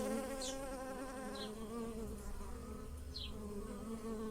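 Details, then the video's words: Bees buzzing around lilac flowers in a garden as they pollinate; a steady humming drone with harmonic overtones, accompanied by three brief descending bird chirps. "The wonderful scent of lilacs and the buzzing of bees in the garden"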